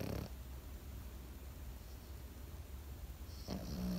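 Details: A Pekingese dog asleep: one raspy snore at the very start, a long quiet stretch of soft breathing, then a second rattling snore that rises near the end over a low steady hum.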